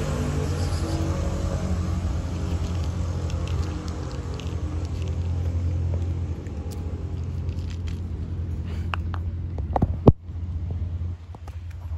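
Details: Low rumbling road traffic and urban background noise with a few clicks and a thump, no animal voice.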